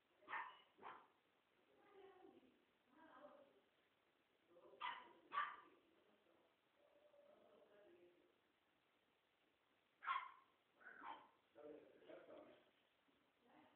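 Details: French bulldog puppies playing together indoors, giving short, sharp yips and barks in irregular bursts, with softer grumbling sounds and quiet gaps between them.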